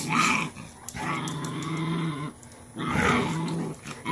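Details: Cashmere, a Cane Corso mother, pins her dominant female pup into submission posture as discipline; a sustained low rumbling growl holds for over a second, pauses briefly, then returns in a second long snarl, recorded indoors.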